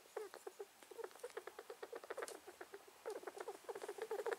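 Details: Possibly ill male rat with sudden new noises, believed to be sneezing: dense strings of brief squeaky pulses, several per second, broken by a short pause midway before resuming just as fast.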